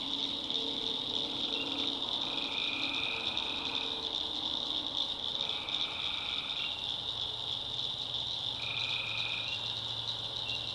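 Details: Tree frogs at night in a North Carolina backwoods swamp: a steady high chorus with three separate lower, drawn-out calls spaced a few seconds apart and a faint low hum below.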